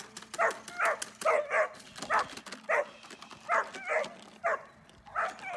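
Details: Repeated rough barks from Dornan, a German Shepherd, during protection training. Roughly two per second arrive in a steady series over faint background noise.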